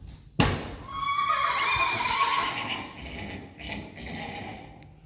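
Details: Friesian horse from a herd neighing after a sharp thud; the shrill, quavering whinny swells and holds for about two seconds, then weaker shaky tails of the call follow.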